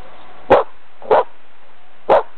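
A dog gives three short, sharp barks, spaced irregularly about half a second to a second apart.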